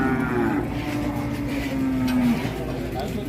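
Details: Large cattle at a livestock market in Indonesia: a low, steady moo held for about two seconds, with background music and crowd noise.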